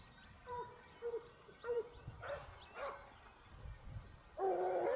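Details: Basset Hounds of the Topsfield Lebrera pack hunting in Spain, 2015-16 season: three short, clear yelping bays come early, then scattered fainter cries and a loud, sustained burst of baying at the end, with faint bird trills above.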